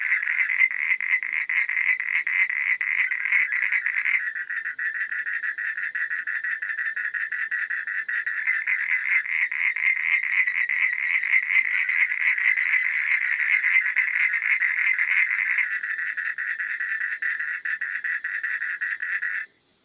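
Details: Frogs calling after dark in a long, unbroken chorus of fast rattling pulses, the band narrowing and widening as callers drop in and out, ending abruptly in silence.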